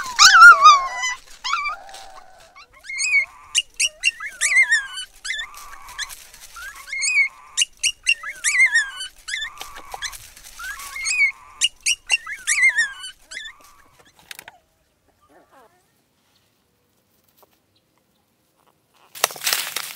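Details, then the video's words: Black puppies rescued from the bottom of a dry well, four in all, whimpering: a steady run of repeated high, quavering cries and squeaks for about thirteen seconds, then near silence and a brief rustling noise. "Crying Puppies Rescued From Dry Well"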